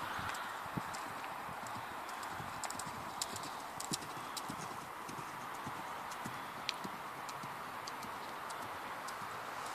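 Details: Sharp hoof clicks from a mare born in 2009, knocking at uneven intervals throughout, some louder strikes standing out over a constant background hiss.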